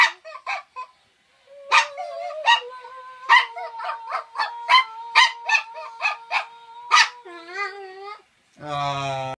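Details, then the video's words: Male toy poodle sings with its owner: a rapid series of sharp yelping notes over a held human tone, then a drawn-out wavering howl, ending in a burst of harsh noise. "Toy poodle sings with his owner"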